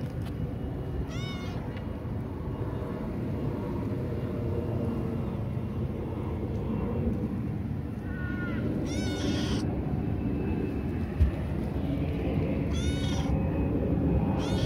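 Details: A kitten astray on a hill, seemingly hungry, gives short rising-falling meows in bursts, a pair close together near the middle, under continuous low rumble like distant traffic.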